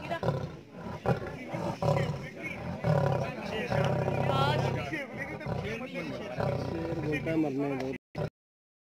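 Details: Lion and lioness in a zoo cage at Paragpur, Himachal Pradesh, giving deep, drawn-out rumbling roars over several seconds while human voices talk nearby; the sound cuts off abruptly at the end.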